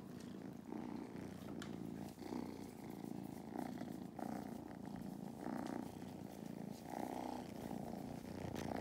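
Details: Kittens Mustard and Thyme, at a farm in County Kilkenny, Ireland, purr powerfully while sitting on a lap. A low, unbroken rumble with regular breath-driven surges continues throughout.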